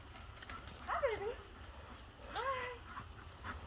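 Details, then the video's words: Dog worried about its owner, giving two drawn-out whining cries about a second and a half apart, each sliding downward in pitch, over low background rumble. "Dogs Worried About Their Mommy!"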